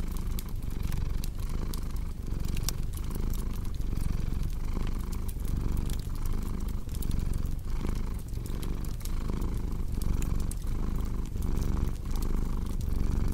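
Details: Cat purring in a long, even low hum that rises and falls rhythmically with inhale and exhale, while a fireplace crackles with scattered bright snaps throughout.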